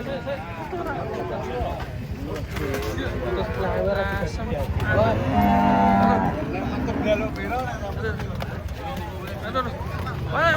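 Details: Huge cattle, said to be aggressive, coming down off a truck: a drawn-out, low, harmonic moo peaking midway, over constant crowd chatter, shouts and vehicle noise.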